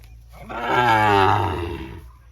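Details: Single drawn-out lowing from a Sahiwal bull at a Birampur cattle market in Dinajpur, Bangladesh, on 24 June: a strong harmonic moo over a second long that swells and fades, with low rumbling background.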